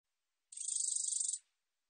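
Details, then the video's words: One katydid song phrase from a 2020 Korean recording: a single sharp, sizzling burst of about seventeen fast ticking pulses, building quickly then cutting off after nearly a second, in clean silence. "검은테베짱이, 여러번 듣기, 곤충소리"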